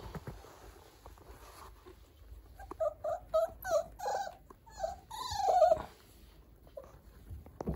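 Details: Puppy offered for sale by a breeder, described as lively yet gentle, giving a run of short nasal whining yelps and squeaks in the middle seconds, the loudest a wavering whine near the end, with quiet handling noise around.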